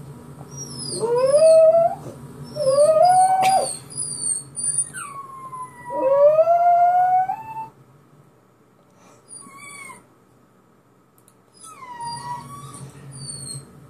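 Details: A pet dog, set off by hearing a recording of himself crying, gives three rising, wailing howls in quick succession, then fades into brief soft whines with quiet pauses between.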